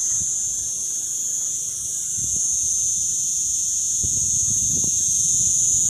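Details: A cicada in Mellieħa gives a steady, high, hissing buzz that drones on without a break.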